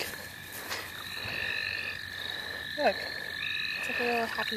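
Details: Frogs in the St. Olaf College Natural Lands form a dense, unbroken chorus of long ringing trills at two pitches, one higher and one lower. A few short chirps and brief handling sounds come through near the end.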